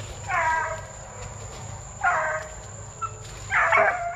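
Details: Plott Tan hound pups, a Plott hound crossed with a black and tan coonhound, aged between eight weeks and five months. Three harmonic yelping calls come about every one and a half seconds, each short and slightly falling, over a low background hum.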